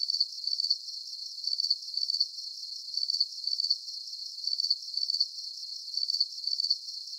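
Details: Calming cricket sounds: sharp, high, trilled chirps in paired bursts, repeated rhythmically and evenly throughout over a faint hiss, with no other animals or noises.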